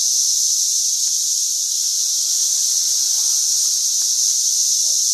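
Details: Cicadas by the ton in St. Louis, 2011, an outbreak worsening every day: shrill continuous buzzing hum at even volume, cutting off abruptly at the end.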